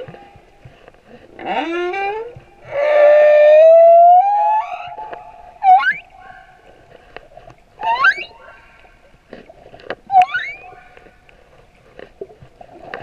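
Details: Singing male humpback whale recorded at Moorea: a harmonic upswept whoop, then a long loud rising moan, followed by three short sharp upsweeping chirps spaced about two seconds apart over a faint steady hum.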